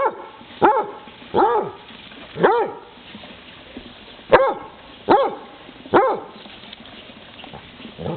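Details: Basset Hound chasing a frog, barking in six sharp, rising-then-falling yelps spaced roughly a second apart, each with rich ringing overtones.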